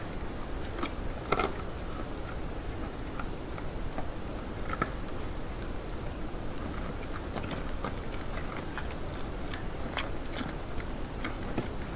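A steady low rumble with scattered clicks and crunching sounds like chewing, and no animal calls.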